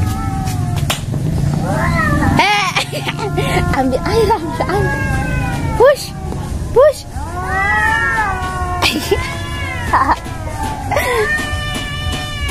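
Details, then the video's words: An Angora cat faces a village cat, the pair trading long drawn-out yowls that waver and bend in pitch, overlapping one another, while people shout to shoo them and background music plays. "Kucing Anggora vs kucing kampung"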